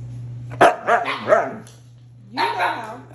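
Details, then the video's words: Pet Siberian Husky 'talking' to ask for ice cream, told to say please: a series of three quick wavering howl-like syllables, a pause, then a longer rising-and-falling talking howl, with a steady low hum behind. "dogs ask for ice cream 🍦 husky brothers get ice cream!"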